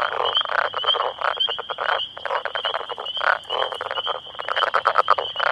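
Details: Close-up chorus of about ten male Northern Leopard Frogs calling to attract females within their territory, unbothered by the observer. Dense, overlapping guttural rattles and chuckles pulse in quick succession, with a faint continuous high trill behind.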